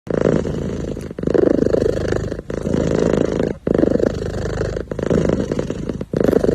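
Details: A kitten sitting happily purrs steadily, a low rumbling drone rising and falling in cycles about every second.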